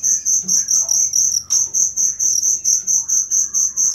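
A cricket chirps in high, ringing pulses, repeated steadily several times a second.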